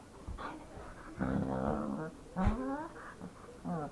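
A dog gives a string of short, moaning whines and throaty grumbles that slide up and down in pitch.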